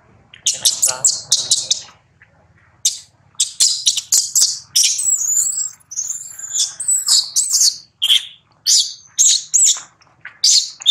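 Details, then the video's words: Infant monkey crying loudly while his mother repeatedly rebuffs him during breastfeeding; shrill, high squeals come in rapid bursts, with a short pause near two seconds before the squealing resumes. "Mom Rose Repeatedly Abuse Rex During Breastfeeding, Rex Cry Loudly"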